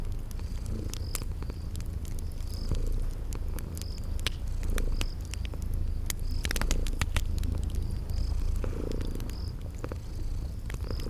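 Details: Purring from sleeping kitties by a crackling fire, spring garden setting: a continuous deep, even purr under snapping fire pops, with brief high chirping notes repeating at regular intervals.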